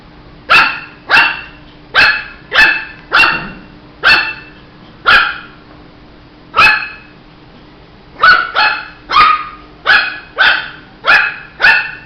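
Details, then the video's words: Shih Tzu puppy barking repeatedly: about nineteen short, high yappy barks, spaced roughly half a second to a second apart, with a brief pause mid-sequence before a faster run of barks resumes. "Som de latidos de filhote de Shih tzu"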